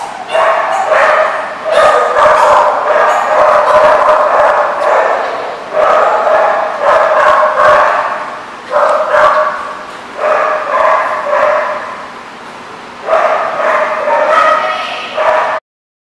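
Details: Dogs barking on 25 August 2014 in long runs of rapid, rough, harmonic barks and yips, broken by brief pauses, continuing for about fifteen seconds before stopping abruptly.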